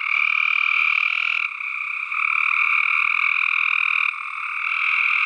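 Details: Many tree frogs croak at once in a steady, buzzing wall of rapid pulses, bright and harsh in tone, with slight drops in volume around two and four seconds.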